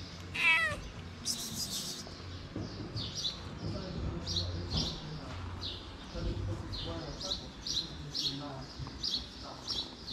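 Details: Feral street cat with a big nose, homeless in the cold, slapping a kitten to keep him away; a short high harmonic meow, then faint scattered cries over steady background hiss and low rumble.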